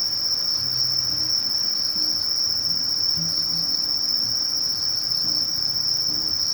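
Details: Steady, unbroken high-pitched buzz of a Conocephalus melaenus katydid song, a species living among bamboo grass and grasses at forest edges in Japan; soft low background hum underneath.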